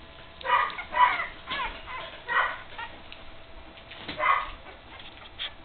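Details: Three-week-old puppies at play together for the first time; uneven high squeals and rasping yips come in short bursts, some sliding in pitch, over faint shuffling.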